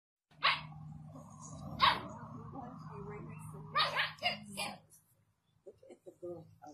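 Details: A Rottweiler gives several deep, explosive barks at a puppy over a steady background hum, then people talk.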